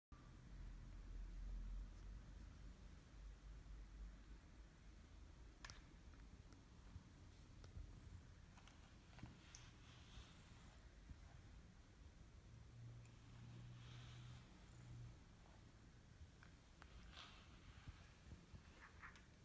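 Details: Kimi, a male British Shorthair cat, purring very loudly with pleasure while being brushed and stretching himself; low, steady rumbling hum throughout, overlaid by scratchy brushing strokes and faint rustles.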